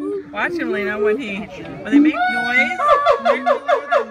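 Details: Siamangs sing territorial song in overlapping voices, sliding hoots giving way to a quick run of rhythmic, barking whoops; a calling male puffs up his throat.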